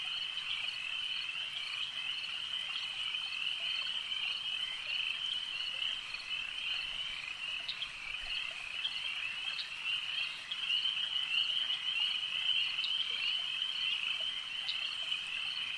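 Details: Many frogs chorusing at a lake: a constant high-pitched trilled drone with irregular pulsing, growing a little louder past the midpoint, plus a few brief clicks.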